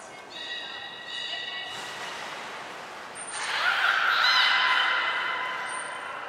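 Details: Beluga (Hodoi, Taanya or Mirai) moving between pools and training at Port of Nagoya Public Aquarium, 14 March 2021: steady layered tonal whistles, then a swelling rough, noisy squeal, with brief thin high tones in the background.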